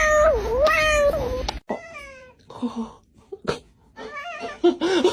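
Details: Domestic cat giving funny, unexpected meows: a long wavering mew that dips and rises, then shorter falling mews and chirps, with some background chatter.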